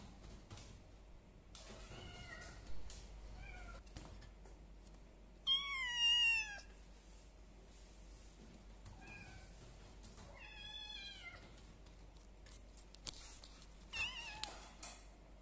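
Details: Three one-month-old kittens, village cat and Persian cat, meowing indoors: short thin high meows at irregular intervals, with two louder, longer wavering cries near six and eleven seconds and a faint low hum beneath.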